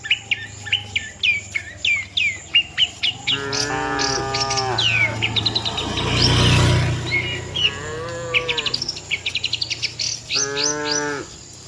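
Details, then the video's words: Herd of tame cattle walking to the shed, three harmonic moos spaced through the clip, among rapid repeated bird chips and chirps, with a brief burst of broad rushing noise in the middle. "suara sapi moo,perjalanan sapi lembu jinak menuju kandang bersama kawanannya"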